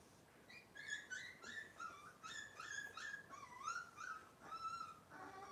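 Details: Cavalier King Charles Spaniel puppies from Robin's litter on a kitchen cam livestream, giving a quick run of high, thin whimpers and yips, each a short tonal squeal that bends up or down, about two per second.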